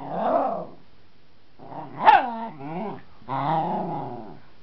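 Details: Domestic dog in playful combat with a wooden baseball bat, growling and barking: a rough growl, a sharp bark sliding into a wavering howl-like growl, then a final sustained growl.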